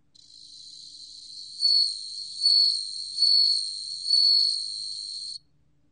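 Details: A bell cricket's ringing high trill, from a 2020 National Institute of Biological Resources recording, rises gently from quiet and then pulses through four strong swells about a second apart before cutting off cleanly.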